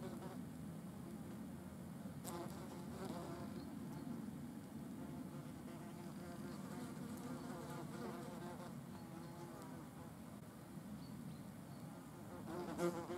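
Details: Wasps eating a dead animal. A low, steady drone of many wings runs without a break, with slight wavering pitch as wasps move about. One brief loud buzz flares right at the end.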